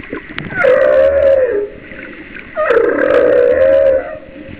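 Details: Humpback whale song recorded about a mile off the coast of Kauai in 2009: two long, mournful tonal moans, each sliding up then holding steady.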